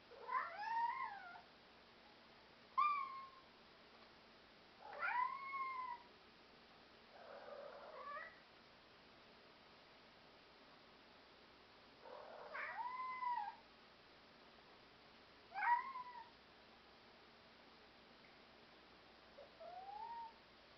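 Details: Black European Shorthair cats indoors meowing repeatedly, about seven short rising-falling meows spaced a few seconds apart over twenty seconds, plus a soft breathy sound; quiet room.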